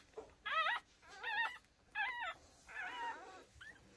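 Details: Micro American Bully, a merle dog, whining in four clear bursts about half a second each, wavering high-pitched whimpers with a short rising yip at the end, little background noise.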